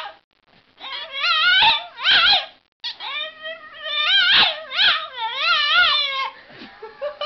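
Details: Puppies giving drawn-out, wavering howl-like whines with rising and falling pitch, several long cries in a row broken by short sharp yips and brief pauses, loud and close in a quiet room.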